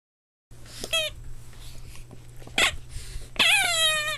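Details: Boston Terrier puppies playing, giving short high whining squeals with stacked harmonics: one brief cry near the start, a broadband yelp in the middle, then a longer descending whine at the end over a steady low hum.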